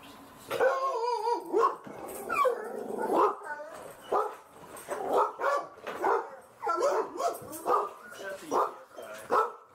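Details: Pet dogs at home, a white American Staffordshire Terrier named Caesar wearing a cone and a tan dog named Stella, recorded on an insta360 EVO camera; a run of short harmonic barks and whines repeating roughly every second, with a person talking.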